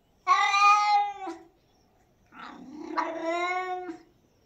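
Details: Pet cat uttering two prolonged, wailing meows: a bright, steady first call of about a second, then a longer, rougher, drawn-out second call with a rising middle; nothing else audible.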